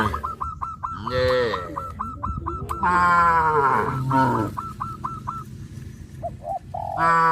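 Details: Tame cows crowding around open fields, running and jumping for joy: several long, full-throated moos rise and fall, while rapid, repeated short honking calls from fowl run almost continuously underneath.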